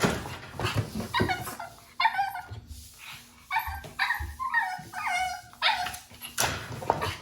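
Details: Japanese Chin puppy, a breed said to bark very little, giving a run of about eight short, high, harmonic yips and whining barks in quick succession, some rising then falling, with soft rustling and thumps between them.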